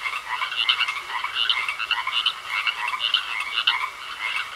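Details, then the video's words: Pond frogs giving a chorus of raspy, pulsed croaks, each burst a quick clattering rattle, repeating about every three-quarters of a second with uneven loudness, over a soft background hiss. "Sounds Of Frogs Croaking In A Pond"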